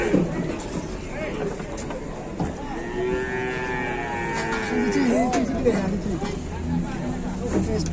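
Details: Cattle calling while one cow is wedged and stuck in Indonesia; a drawn-out harmonic moo rises midway, set against a busy background of crowd chatter and vehicle rumble.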